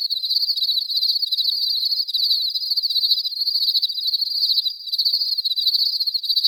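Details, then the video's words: Crickets in a clean natural ambience, a dense high-pitched pulsing trill running almost without pause, with one short dip near the end before the chirping resumes at full strength. "clean crickets sound effect"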